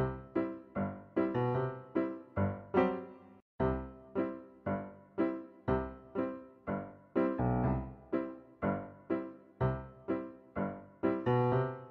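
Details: Bright keyboard or piano music plays in short repeated chords with a steady bouncing rhythm, and no animal voice is heard.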